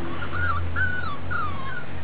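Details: Piebald-with-ticking Miniature Dachshund puppies, born July 18, 2012 and recorded August 26, 2012, whimper in three high, wobbling whines that rise then droop, over a steady low hum.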